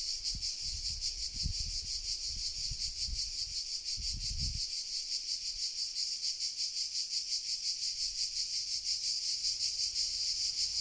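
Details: Cicadas in Sardinia, Italy, in July 2020 around 1 pm, a dense high shrill buzzing chorus pulsing rapidly and steadily throughout, with a few low thumps of wind or handling noise in the first five seconds.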